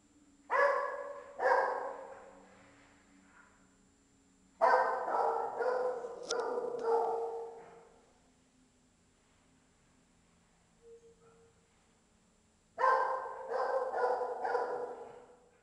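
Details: Dog barking inside a large building: echoing barks in three bursts, first two barks, then a run of about five, a quiet gap, then another quick series of four or five, with reverberant tails.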